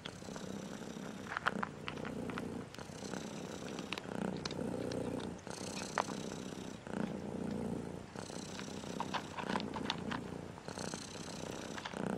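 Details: Striped cat, said to be angry today because it dislikes a song; steady low rumbling purr running throughout with a regular pulsing beat, broken by occasional sharp clicks and brief rustles.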